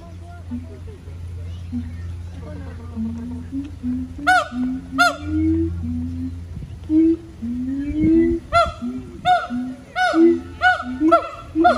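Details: Captive siamang gibbons singing at the Honolulu Zoo, Oahu, Hawaii, on September 15, 2022: a run of short, rising hooting notes with a steady low hum beneath, then loud, harsh, ringing barks in bursts.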